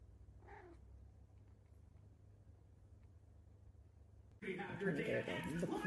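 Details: A pet cat lets out a single brief, soft meow over a low steady hum, then loud voices and clattering household noise take over near the end.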